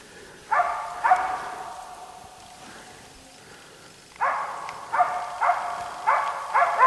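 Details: Finnish champion East Siberian Laika Ahmarakan Vera barking at a moose on a hunt: two sharp barks, a few seconds of quiet, then a rapid, steady series of clear, ringing barks.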